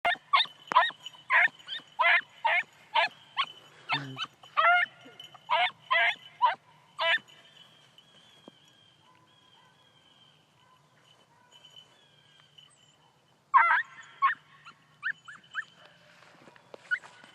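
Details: Four-month-old beagle puppy running a rabbit, giving a rapid series of sharp, high yelping barks about every half second, then a long pause and a further burst of yelps; a steady whine sits under the calls.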